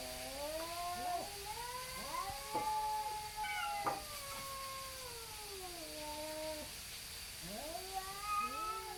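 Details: Two neighbourhood tabby cats facing off and stalling a fight, trading long wavering yowls that rise and fall, overlapping one another with bent, quavering tones and short breaks between bouts.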